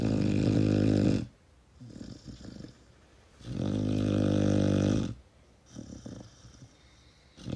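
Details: Pit Bull puppy dozing while cuddling with its owner, snoring twice with long, deep, rattling inhalations about three seconds apart, soft breathing noises in between.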